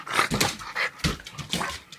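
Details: A happy French Bulldog that loves walking gives short, breathy, snorting whines in quick bursts.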